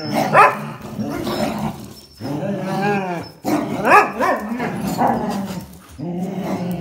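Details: Jack Russell Terrier, black-and-white Border Collie and red-and-white Border Collie playing tug-of-war over a towel; loud harmonic barks and throaty growls in bursts, with pitch bending up and down and brief pauses between.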